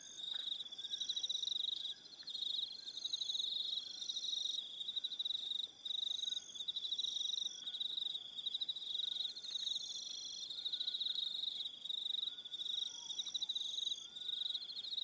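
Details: Crickets calling in the evening on Aroha Island, New Zealand, a continuous high buzzing trill made of rapid pulses, with brief dips in loudness and soft higher trills joining in and out.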